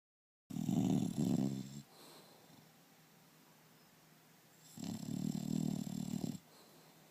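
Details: English Bulldog named Turbo snoring loudly indoors: two long rasping, rumbling snores about four seconds apart, each lasting over a second, with quiet breathing between.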